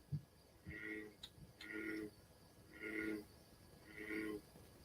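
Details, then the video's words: American bullfrog in a pond in New York giving deep, droning calls, each about half a second long, repeated roughly once a second. "but this is what your bullfrog will sound like"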